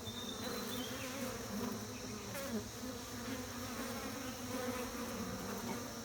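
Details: Beekeeping bees producing a dense, constant low hum that holds steady throughout, with a thin descending whistle from a bird early on and faint chirps.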